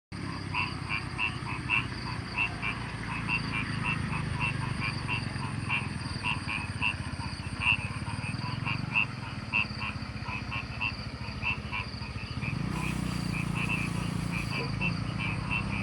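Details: Frogs in countryside rice fields keep up fast, regular croaking pulses in a steady chorus over a constant low rumble, with a brief high hiss late on.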